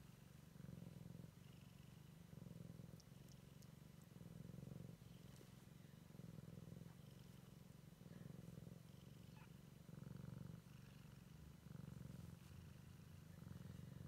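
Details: A Siamese kitten on its first exploration of the world purrs steadily, a low vibrating drone rising and falling in even breaths close to once a second, with soft clicks and rustling faintly behind.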